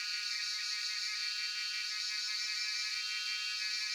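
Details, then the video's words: Cicadas, locally called Jhyaukiri, in Shivapuri National Park near Tarkeshwor, recorded on a cellphone; a dense, steady high buzzing drone with faint pulsing, continuous throughout with no gaps. "Sound of Cicadas (Jhyaukiri)"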